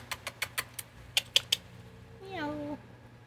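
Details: Calico cat giving a hello chirp on a rainy August 2024 day: a person's quick kissing smacks come first, then one short chirp, a harmonic tone that slides downward and lasts about half a second.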